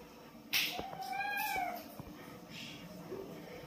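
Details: Lucy, a blue-eyed kitten, playing with her mother cat indoors; a single drawn-out meow arching up then falling, with a rich stack of overtones, followed by light tapping and shuffling sounds.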